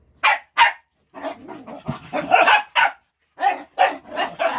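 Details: Pet dogs playing while waiting for food: loud, sharp barks and yips in quick bursts, several close together, then short pauses before further volleys of barking.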